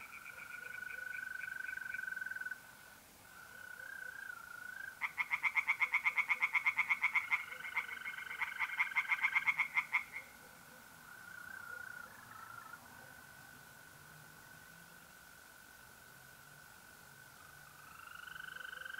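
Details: April night at a pond in north-eastern Italy: mole crickets trill steadily, and midway tree frogs break in with a five-second burst of rapid, rhythmic croaks before fading back to the crickets alone.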